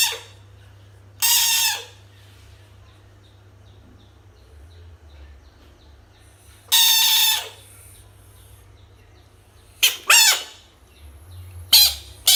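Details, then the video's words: Frog confronted with toys gives loud, raspy screams in short bursts, about half a second to a second each, separated by long quiet gaps, with a couple of quicker wavering shrieks near the end. "screaming frog frog sounds-noise"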